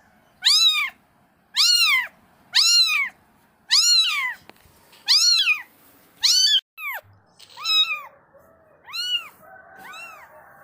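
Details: Mother cat cleaning her kittens: a series of clear arched meows repeated roughly every second and a half, bright and tonal with strong harmonics, followed by softer, higher and fainter mews toward the end, in a quiet setting.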